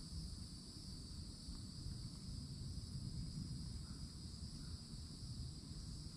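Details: Continuous high-pitched cicada chorus from summertime woods in Florida near an old oak tree, an even shimmering buzz over low-frequency rumble, with one or two faint soft bird notes.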